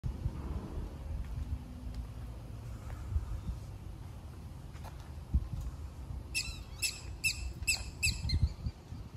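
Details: A black-tailed prairie dog (Cynomys ludovicianus) at a zoo in Wichita, Kansas, gives a quick run of sharp, high chirps over a low background rumble.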